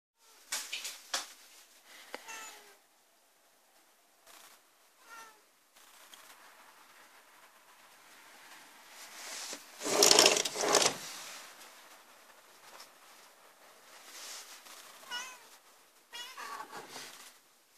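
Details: A white Turkish Angora cat outside at midnight gives repeated plaintive meows, asking to be let inside, then jumps up happily meowing when the door is opened.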